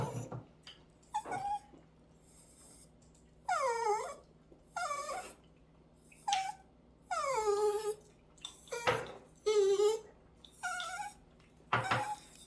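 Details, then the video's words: Pet Dachshund at home, angry that its heated food is too hot, repeatedly whining and grumbling in drawn-out, wavering, falling whimpers roughly every second, with a person talking briefly. "짜증부리는 강아지 ㅣ 닥스훈트의 성질머리"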